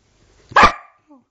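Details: Young female Samoyed saying 'hello' to her owner: a single loud, short, throaty woo-like vocal with a rich harmonic core and a quick downward tail, between spoken hellos.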